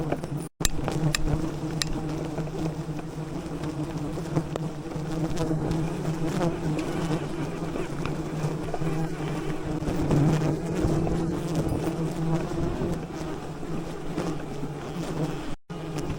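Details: Swarm of bees covering a giant wild honeycomb in the rainforest canopy, calmed with smoke by honey hunters cutting the comb; a continuous low humming drone holds steady throughout, overlaid by faint rustling and knocking.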